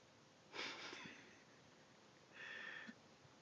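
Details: Sylvester, a pet cat also called Vester, snoring while asleep indoors: two breathy, rasping snores roughly two seconds apart, each lasting about half a second, in a quiet room.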